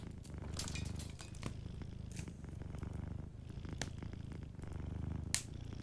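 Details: Gently purring sleeping cat by a cozy fireplace: steady deep rumble swelling and fading with each breath roughly every two seconds, scattered wood-fire crackles overhead.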